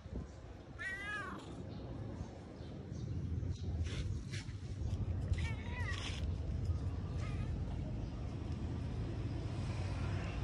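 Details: A domestic cat gives a short series of high, wavering meows early on, then quieter meows, over steady low rumbling background noise and some voices.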